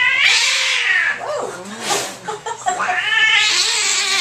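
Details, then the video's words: Displeased cat yowling at the vet, loud drawn-out harmonic wails at the start and end, a shorter rising-falling cry in the middle, and faint voices. "Angry cat at vets"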